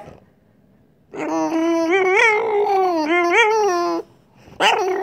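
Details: French Bulldog giving a continuous wavering, motor-like whine compared to a racing car, pitch bending up and down in undulating swoops for about three seconds, followed by a short burst.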